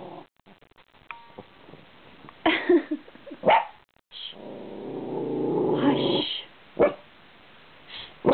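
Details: Puppy perched on a couch back indoors, barking at passing cars and growling for the first time; sharp single yips and barks, then a long rough purring growl lasting about two seconds, and a woman hushing her.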